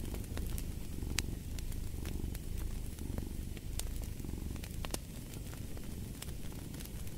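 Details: A house cat purrs steadily next to a fireplace, its deep, grainy rumble running continuously low in the background while crackling fire sends scattered bright clicks and louder snaps across the recording.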